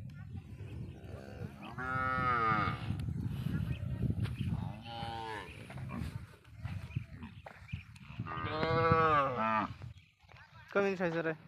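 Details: Smuggled cattle from across the Indian border on a Padma char; deep rumbling background with several moos, one strong call early, another around the end, then a short final bellow.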